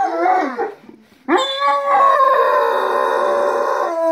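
Dogs howl together in long, wavering, overlapping tones that slide up and then hold steady.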